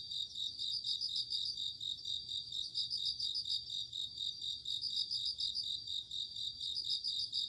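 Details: Autumn night chorus of crickets: short bursts of rapid, high-pitched ringing pulses recur every couple of seconds above a continuous shimmering insect hum.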